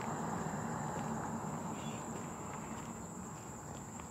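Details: July 18, 2023 cicadas keep up a level, high-pitched ringing hum under louder low, rumbling outdoor noise and light patter that gradually softens.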